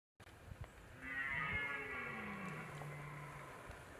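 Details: Red deer stag during the rut, a long drawn-out roar beginning after about one second and sustained to the end, with a low falling tone and bright harmonics above; faint background noise.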